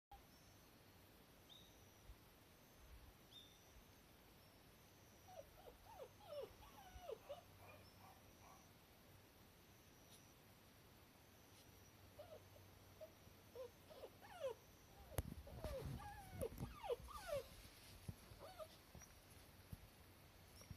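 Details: Cardigan Welsh Corgi gives thin, high whines and whimpers in short wavering bursts, in pleasant, comfortable weather; recorded 5 November 2020.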